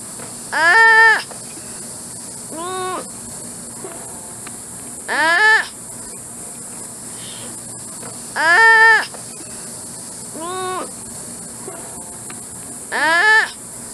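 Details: Sloth calling in a run of six short, reedy bleats spread over fourteen seconds, strong cries alternating with weaker answering ones, steady hiss underneath.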